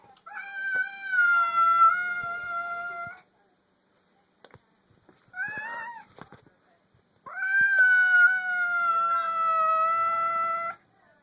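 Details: Domestic cat making a strange noise on meeting another cat for the first time: two long, steady, tonal wailing yowls of about three seconds each, separated by a short warbling squeak and faint clicks.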